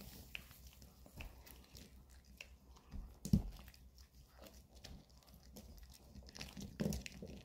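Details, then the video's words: Indoors, Maltese Bomi and long-haired Chihuahua Coco work on weekend dog chews, producing low, thudding bites and scattered crunches, with two sharp loud cracks standing out against soft continuous gnawing. "주말은 역시 개껌먹방"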